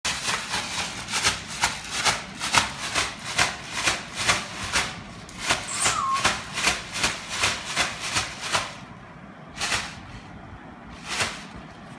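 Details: Rhythmic scraping and rubbing sounds repeat about twice a second for nine seconds, then fall to a few separate strokes, with no animal voice heard.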